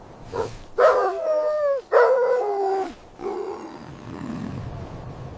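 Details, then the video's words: Puppies playing with their mother dog on fresh snow in winter; a short yelp, then two long drawn whining cries with clear harmonics, each about a second, before fading into soft low rustling. "Beautiful puppies playing with mother dog on snowy ground – Dog barking sounds"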